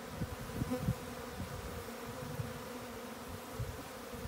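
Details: Japanese honey bees during swarming, a constant low buzzing drone with soft irregular thumps and ticks scattered through it.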